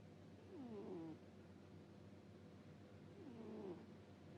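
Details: Domestic cat asleep, giving two 'puu puu' snores: each a short nasal squeak falling then levelling off, about three seconds apart, against a constant low electrical hum in a quiet room.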